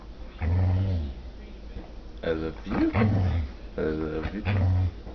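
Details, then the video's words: Half Labrador, half pit bull dog 'talking' in a small room: low, moaning, howl-like vocal phrases that rise and fall in pitch like speech, in four or five bursts over several seconds. "talking dog"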